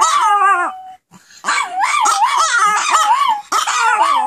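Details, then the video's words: Pet Pomeranians drawn into group howling by their owner's howl; a held wavering howl, a short pause, then a dense chorus of undulating howls and yips rising and dipping rapidly. "Howling Pomeranians"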